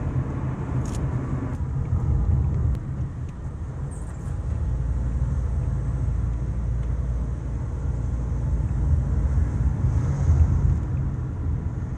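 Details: A loud, continuous low rumble of road traffic or a running vehicle fills the recording, with no animal voice heard.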